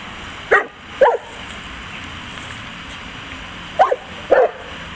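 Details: St. Bernard named Zeus barking while having fun: two pairs of short, mid-pitched barks, the second pair coming about three seconds after the first, over a steady low background hiss.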